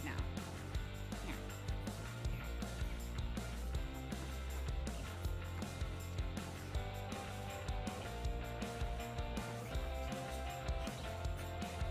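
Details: Strummed guitar rock music with a steady bass line plays throughout, and no animal sound is heard.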